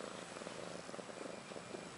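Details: Ashley, a pet cat about a year old, purring beside her two newborn female kittens Maggie and Rose, born March 30, 2013; a soft, steady, rhythmic pulsing under a hissy background.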